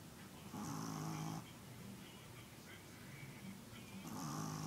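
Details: Domestic dog snoring in steady rhythm, a coarse, throaty drawn-out snore near the start and another beginning about three seconds later, separated by soft breathing noise.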